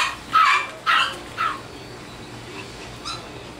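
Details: Bichon Frise puppies from Virginia Beach, Virginia: three quick, shrill yelps in the first second and a half, then quieter scattered squeaks over a low room hum.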